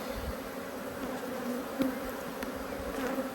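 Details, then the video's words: Honey bee colony annoyed at being inspected, a mass of bees droning in an even low hum with a faint higher overtone. Occasional sharp ticks and a single louder close pass of a bee stand out. "When Bees Go Wild - Inspecting Two Angry Hives"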